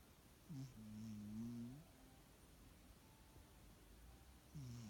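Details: Sleeping cat snoring softly: one drawn-out, low, droning snore of over a second, then a quiet pause before the next snore begins.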